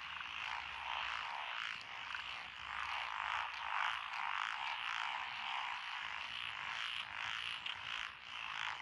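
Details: Paddy frogs in Echizen, Fukui, Japan, recorded 12 June 2021 among lotus rice fields along a country road, with Japanese tree frogs, black-spotted pond frogs, wrinkled frogs and two green tree frog species. They make a thick, continuous rattling chorus with quick, uneven pulses, rising and falling slightly.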